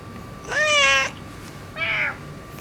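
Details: Dominant ginger tabby tomcat that rules a neighbourhood area, newly neutered and acting affectionate: two harmonic meows, a longer level one then a shorter one after a pause, over a quiet background.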